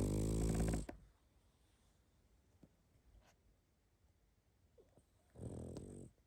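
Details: Pug snoring in its sleep indoors. A loud, rattling buzz of a snore opens the clip, then comes quiet breathing. A second snore rises near the end.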